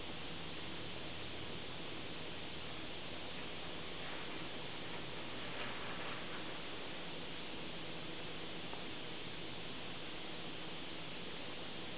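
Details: Steady broadband hiss like rushing water or wind fills the recording, with no animal sound.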